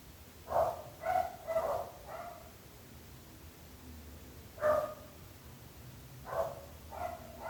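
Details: Persistent barking from neighbours' dogs: four fast barks, a silent stretch, then single and paired barks returning, all with a muffled, far-off quality against faint low background hum.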